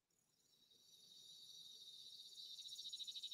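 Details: A single cicada on a summer day in Alabama gives a high, hissing buzz that starts softly and ramps up steadily louder into a pulsing drone.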